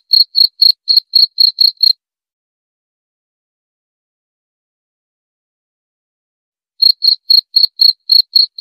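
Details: Short bursts of high cricket chirps, about four per second, for two seconds, then nearly five seconds of silence before the rhythmic chirping resumes; no other noises.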